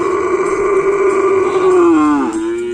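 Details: Cattle in full training at the Asemanis field in Pamekasan, preparing for a kerapan sapi bull race event: one long, loud, steady moo with rich harmonics that sags lower near the end and then levels off.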